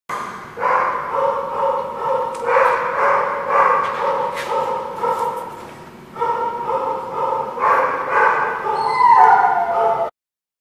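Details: Several dogs at The Barking Lot, recorded 5/4/19, joining in a sustained howling chorus with layered harmonic tones that swell, dip briefly near the middle, then rise again into higher wavering notes before stopping abruptly.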